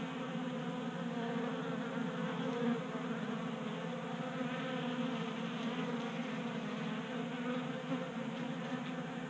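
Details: Honey bees feasting from a 3D printed feeder on a garage workbench in Colorado during January warmth; constant dense humming drone with many overtone bands and small fluctuations in loudness.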